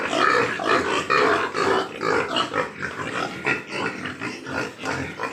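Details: Large White Yorkshire pigs at a farm in Nadia district, West Bengal: steady, busy grunting from several animals, short harsh oinks repeating about twice a second with no pause.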